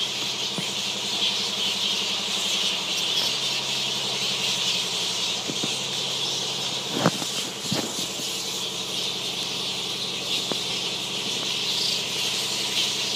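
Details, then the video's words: Fruit bats in Zanzibar: a dense, continuous wash of high, shrill squealing chatter, with a few sharp clicks and a steady low engine-like hum underneath. "Fruit Bats - Zanzibar"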